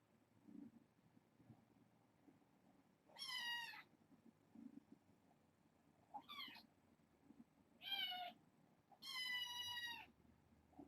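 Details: Domestic kittens, part of a litter of six, at bedtime indoors with a person sitting among them; four separate high, clear meows, short and rising-falling, spaced a few seconds apart over faint room rustle.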